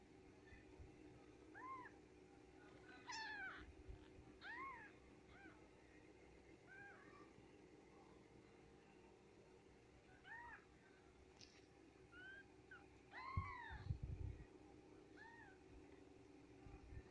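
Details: A litter of Japanese Bobtail kittens delivered by the cat S Rabbit mew repeatedly with short, bright, arching squeaks, sometimes overlapping, with a few low thumps and a steady hum underneath.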